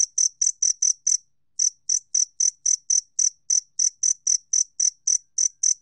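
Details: Two-spotted cricket from a 2020 Korean National Institute of Biological Resources recording: sharp, ringing chirps in quick succession, a half-second gap after the first six, then the regular train resumes.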